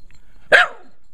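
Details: A single bright, punchy bark from Kiba, a Shiba Inu, during play with a remote control helicopter indoors, in an otherwise quiet moment.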